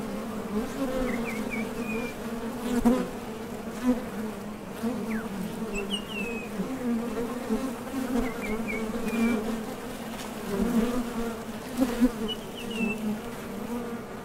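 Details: Wing buzz of honey bees coming and going at a top bar hive entrance on nectar-foraging trips: continuous deep hum that rises briefly as bees fly near, with soft high bird twitters now and then behind it.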